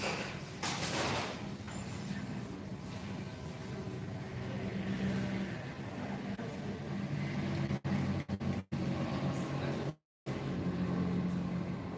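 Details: Low rumbling vehicle noise, like an idling bus or truck, with faint voices and a few abrupt cut-outs; no animal calls can be picked out.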